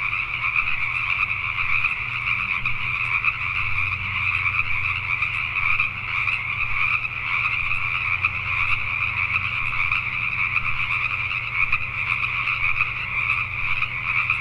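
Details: A nighttime gathering of Pacific tree frogs in Richmond, British Columbia, Canada keeps up a constant, crowded croaking chorus with no gaps, while a quiet low-pitched drone runs underneath.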